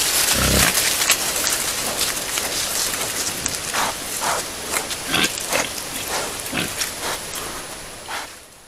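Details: Wild boars picked up by a trail camera: short, noisy grunts and snuffling bursts recur irregularly among rustling movement, with a low thump near the start and a steady background hiss.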